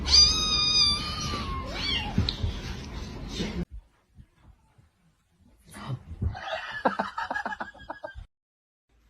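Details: Kitten crying with a run of high, drawn-out meows that slide downward over the first three and a half seconds. A pause follows, then scattered, softer rustling and clicking sounds.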